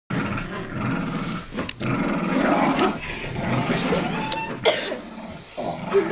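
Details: Two dogs, Benji the Kooikerhondje and Trixi the Tibetan Terrier–Poodle mix, tugging together on a dog toy; a continuous rough, rumbling growl runs throughout, rising and falling in loudness, with brief scuffling noises.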